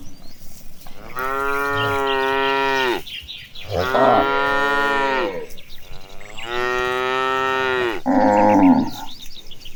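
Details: Tame cows in a herd marching toward the pasture, lowing in long harmonic moos of about two seconds each, three strong calls in a row followed by a shorter, higher bawl at the end.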